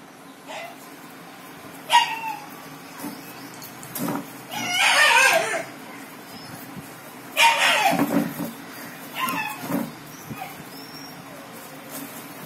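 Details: Rottweiler puppies play fighting indoors: bursts of squeaky yelps, squeals and scrappy growling noises come in a few short flurries, separated by quieter pauses with low room hum.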